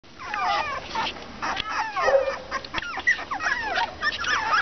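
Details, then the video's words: English Cocker Spaniel puppies about 30 days old, with high whining whimpers that slide up and down, several overlapping in quick bursts across the clip. "Cachorros Cocker Spaniel-Ingles"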